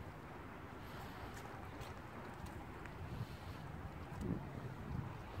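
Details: Wind buffeting the microphone over a low outdoor rumble, with no animal calls heard.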